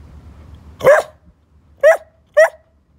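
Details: Three brief, bright barks from a chatty young Bedlington Whippet Lurcher kept as a pet, the first louder, the last two close together near the end, with a soft low hum underneath.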